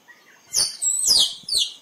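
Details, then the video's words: Squirrel calling, a recording used to lure squirrels for photography: three loud, sharp, very high chirps, each sweeping downward, with the second drawn out longer, over a quiet background. "เสียงกระรอกร้อง คมชัดไว้ต่อ squirrel sound"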